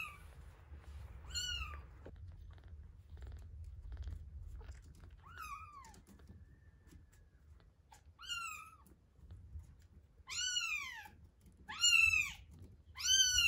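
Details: One-week-old kittens Terra and Towa mewing at feeding time indoors. Scattered thin arched cries, sparse at first, then three strong rapid mews close together at the end over a low background hum.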